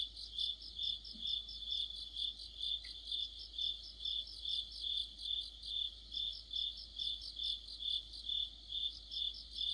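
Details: Crickets singing with other insects in deep autumn, a continuous high-pitched ringing broken into regular pulses roughly every half second, with no other clear sounds.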